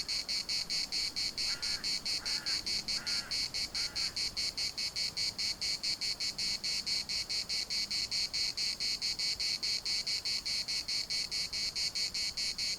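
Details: Cicadas chorusing in a municipal park in Larnaca: a dense, harsh buzzing pulsed in a steady rapid beat, about two pulses per second, with four short, lower calls early on and soft wind rustle.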